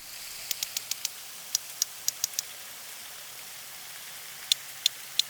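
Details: Two sperm whales interweave codas: sharp, dry clicks in short rhythmic bursts, one whale's coda overlapping the other's so they make the next coda together.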